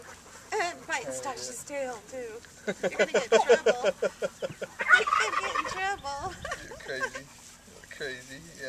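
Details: Litter of brand-new puppies squealing and whining in rapid, wavering high-pitched cries, several overlapping in bursts, while people talk and laugh nearby about the babies and handle them.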